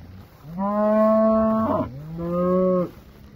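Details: Cattle from a herd of 24 first-calf cows with 25 calves: two long, deep, harmonic moos, the first steady and loud for about a second, then a lower, slightly falling second moo after a short break.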